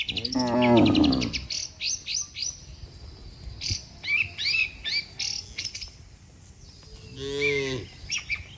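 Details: Cattle, one of dozens lined up neatly on a road, calling the herd to come home: a loud, low, harmonic moo lasting about a second opens the clip, then busy chirping birds, with a second, higher drawn-out bellow near the end.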